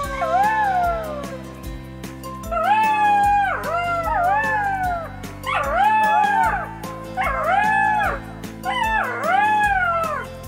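Golden jackal giving wavering, whining howls in repeated bursts over a steady musical backing.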